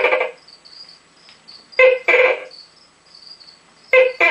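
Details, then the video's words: An adult male Tokay gecko gives loud, croaking two-part barks, a short note followed by a longer one, among his first calls of the night; the call sounds different when he calls from inside his tube. "Rambo the Tokay Gecko Calling"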